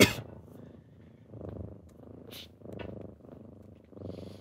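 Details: Kittens purring on a typical morning as they wake their owner: low rumbling purrs in pulses of about half a second, with a sharp burst at the start and soft rustling between phrases.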